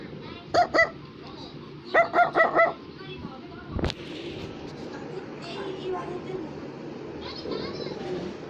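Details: Brussels Griffon toy dog barking at home: two quick bursts of sharp, high yaps, two then four in a row, followed by quieter sounds, with background music playing throughout.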